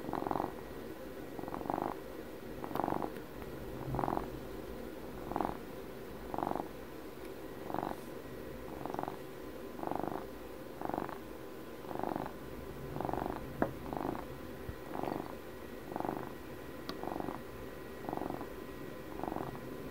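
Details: A twelve-year-old house cat purrs steadily near the microphone, rumbling bursts repeating about every second, with a couple of small clicks and light handling noises among them.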